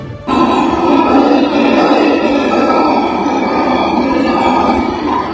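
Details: Black howler monkey males give a deep, rasping, sustained roar. Each morning they chorus and males of other groups answer. Calls carry up to 4.8 km and tell neighbouring groups where they are, which avoids costly fights.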